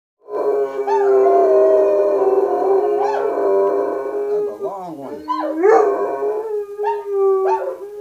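A German Shepherd holds a sustained, mid-pitched howl rich in overtones for several seconds. The voice then dips, wobbles and swoops upward in short yodelling phrases before settling back into a steady tone.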